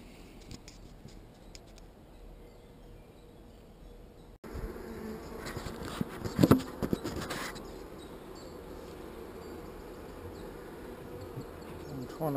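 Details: Honey bees in an opened hive during a beekeeper's inspection, a few fanning, described as not so angry. A dull, steady hum of many bees swells in after a quiet start, with knocks and scrapes from frames being handled.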